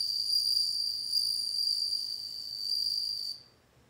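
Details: Bell cricket song: a continuous, high, bell-like ringing trill held on one bright pitch with faint higher overtones, sustained for over three seconds and then stopping abruptly into silence, with no other sounds present.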